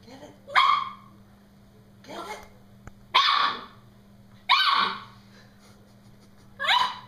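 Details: Norfolk Terrier shrieking at his balloon during play, giving four loud, harsh, high yelping shrieks each about half a second long, separated by pauses of one to two seconds, with a faint extra yelp and a steady low hum behind.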